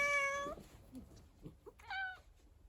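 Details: Rescued house cat meowing indoors: one strong level meow bending slightly upward at its end, a short pause with soft rustling, then a second shorter meow.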